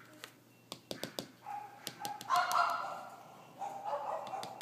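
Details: Female French Bulldog puppy of whitish cream colour, born 19 May 2013, whines in two drawn-out, wavering squeals after a run of sharp clicking taps.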